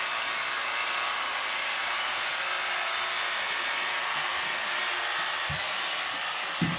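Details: Loud, steady roar of a hair dryer throughout, with a couple of brief low bumps near the end and no animal sounds.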